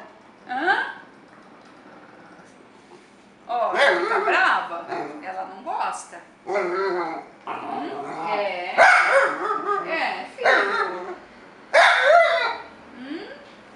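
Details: Dapple piebald male Dachshund complaining, jealous that his sister sits on the owner's lap: a short rising whine, then a run of warbling, moan-like grumbles that swoop up and down in pitch, broken by brief pauses.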